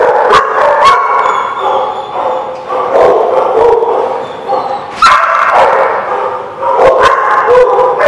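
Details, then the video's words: Many dogs barking together in a busy chorus, overlapping yips and howl-like calls rising and falling, with loud bursts near three, five and seven seconds over a steady din. "The Barking Lot"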